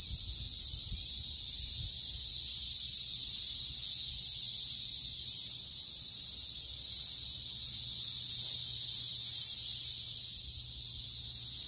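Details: Cicadas calling outdoors while grass is being cut: a loud, unbroken, high-pitched electric buzz that holds steady throughout, with faint low rumbling underneath.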